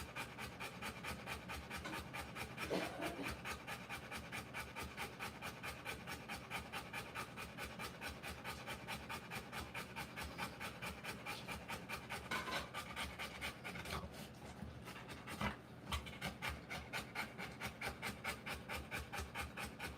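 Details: Rottweiler bitch panting while giving birth to puppies: fast, breathy, even pants, a little over two per second, held steady throughout with a few brief louder rustles.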